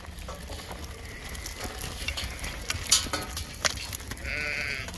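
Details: Border Leicester stud and grade rams, 2021: a short harmonic bleat rises near the end over steady low rumble, with scattered clicks and knocks throughout.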